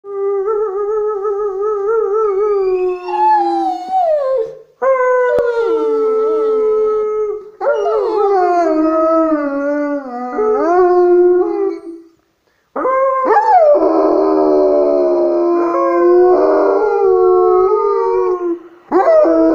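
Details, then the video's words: One-year-old male White Swiss Shepherd in Serbia howling on his first birthday alongside a man. Long, drawn-out tonal howls with rich overtones, sliding and wavering in pitch, come in bursts separated by short breaths and pauses. "Swiss shepherd howling with man"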